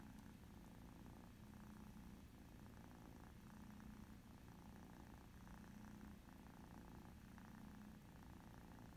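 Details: Domestic cats, an ex-feral mother and her two kitten daughters, tabby and calico, playing a mouse game on an iPad indoors; a soft, continuous low purring rumble with faint rhythmic pulsing throughout, quiet background.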